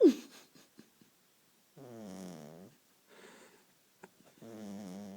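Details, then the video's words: Little beagle asleep on the owner's couch, snoring: rough, rattling breaths in long pulses, each about a second long with short quiet gaps between, plus a brief soft click or two. "Beagle snoring"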